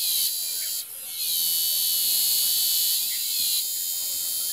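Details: Cicadas in an aroeira tree fill the air with a loud, steady, high-pitched buzzing drone.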